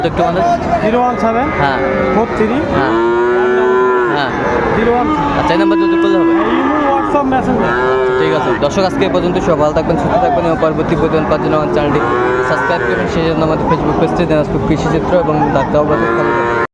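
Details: Friesian and crossbred bull calves at Raniganj cattle market (haat), Dinajpur, Bangladesh, on 3 September 2024; several drawn-out, harmonic lowing moos repeat over the clip amid steady crowd chatter and market bustle.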